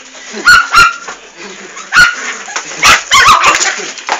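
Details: Fox Terrier puppies, described as Duracell-type, give sharp high yipping barks in bursts, a couple close together then spaced pauses, with a person talking in the background.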